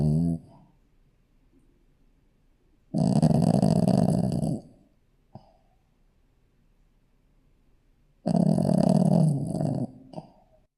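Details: Shih Tzu puppy asleep and snoring, giving long raspy low-pitched snores of nearly two seconds, spaced about five seconds apart, with a faint short snort in between.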